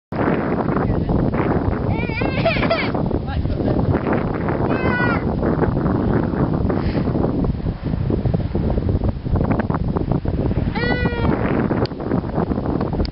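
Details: Chocolate pygmy goats give a few short, wavering bleats over steady talking and background rumble.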